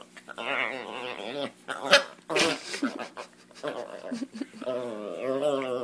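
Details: A Chihuahua, female, makes strained, wavering whines and grumbles after wrestling with a person, growing jealous while a Doberman gets petted; a kitten is also present.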